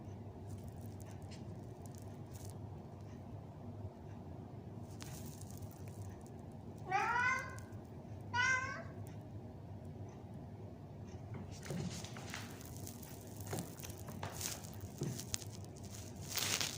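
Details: Arabian Mau cat entertaining herself with a doll, giving two clear, rising-then-falling meows about a second and a half apart near the middle, followed by rustling and knocking from play in a quiet room.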